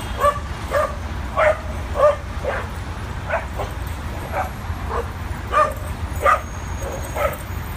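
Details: Adopted dogs playing at a dog park for the first time on the west side of New York City, around 22nd to 24th Street; short yips and barks come every half second or so over steady low traffic rumble.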